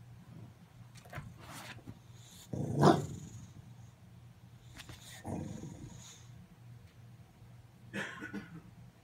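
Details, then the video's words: Khaleesi the bulldog objecting to Christmas things: faint, low grumbling growls broken by three harsh, noisy bark-like bursts spaced a few seconds apart, the loudest near the start, over a quiet indoor background. "Bulldog “Grinch” Has Hysterical Reaction To EVERYTHING Christmas"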